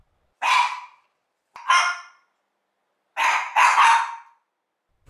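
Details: One-year-old Mameshiba barking hard through a window opened on a cool day, at nobody outside, like a guard dog: four harsh, noisy barks in under five seconds, the last two almost back to back, with silence between them.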